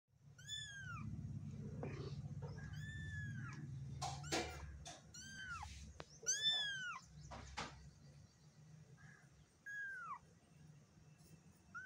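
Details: Black kitten meowing indoors: a run of high, arching meows, each rising then falling, repeated several times in quick irregular succession, with sharp knocks and handling noises between them and a low background hum.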